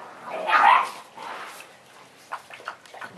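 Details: Six-week-old Great Dane puppies, littermates of Riley, a female mantle pup, at play; one loud, whining yelp rises and falls near the start, followed by a few short, soft yips and scuffling noises.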